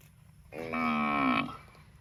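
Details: A single cow in a park gives one steady, drawn-out moo lasting about a second, rich in harmonics with a slight downward glide as it ends, over faint background hum.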